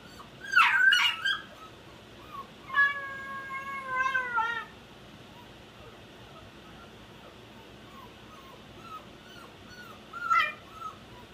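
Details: A 10-week-old Shiba Inu puppy in crate training gives a sharp yelp, then a long, high, slightly falling whine, with another brief yelp later.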